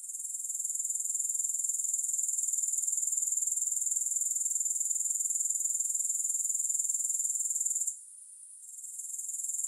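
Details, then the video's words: Grasshoppers in a continuous high-pitched chirring with no music, steady rapid pulses around four per second, a brief dip near the eighth second before the sound resumes. "3 Hours of Grass Hopper Sounds"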